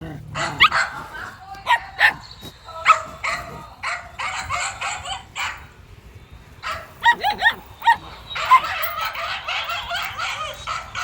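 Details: Male dog running, giving a series of sharp barks in irregular bursts, some closely spaced, with a pause midway before barking resumes.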